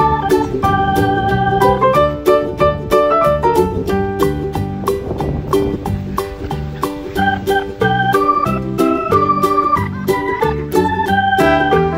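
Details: Upbeat organ-led music with a steady beat and bright repeated chords fills the whole stretch.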